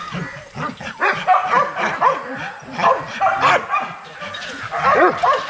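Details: Young Rottweilers in a kennel exercise yard, several dogs barking and yipping at once in rapid, overlapping bursts of about four per second, with higher whining yelps in between.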